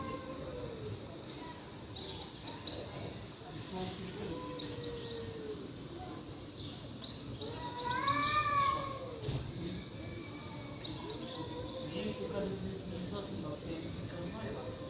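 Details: Fighting stray cats trade long arched yowls, low and moaning, with one louder, higher wailing cry near the middle that swells and then fades. Faint bird chirps and outdoor noise run underneath.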